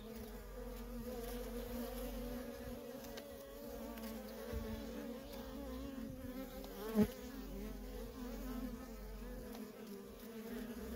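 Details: Feral honey bee colony with worker bees coming and going constantly; a sustained layered hum, pitch wobbling slightly as bees pass, one bee buzzing sharply close at about seven seconds.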